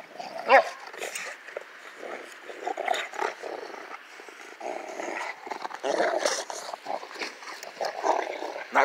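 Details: Rottweilers in snow give rough, throaty growls and short gruff vocal bursts in irregular bouts.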